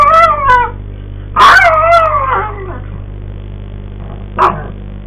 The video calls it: Maltese dog howls